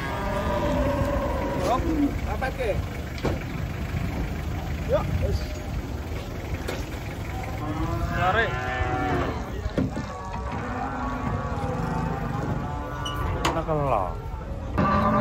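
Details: Giant Limousin cattle being unloaded from a truck one morning in Indonesia, lowing in drawn-out harmonic moos, several near the middle and end, over an engine rumble, clattering and men's voices calling directions.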